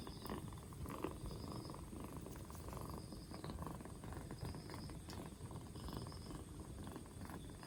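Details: Purring from a two-month-old black Bombay kitten on day four after its rescue, cough gone and getting livelier; even, low pulsing purr throughout, with faint short high tones recurring in the background.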